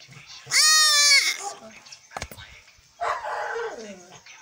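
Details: A three-week-old he-goat kid being castrated gives one loud, harsh, sustained bleat lasting under a second, followed by a click and a softer, lower, falling bleat.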